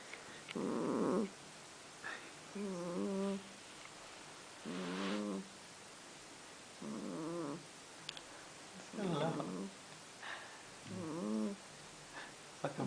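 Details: A kitten called Tigger, perhaps to be renamed Baggins, which snores whether asleep or awake: nasal, moaning snore-like sounds come about every two seconds, each lasting under a second, some bending upward, over a quiet room.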